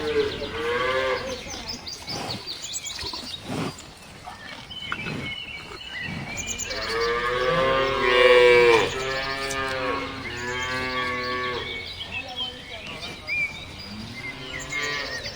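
Several cows give long, drawn-out moos with rich harmonic tones, one after another.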